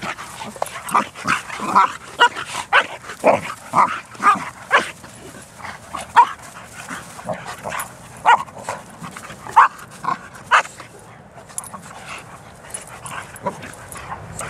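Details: Bearne, an 11-month-old Bernese Mountain Dog, plays with other dogs at a dog park; a run of sharp, mid-pitched barks comes roughly twice a second, uneven, then thins out toward the end over soft background rumble.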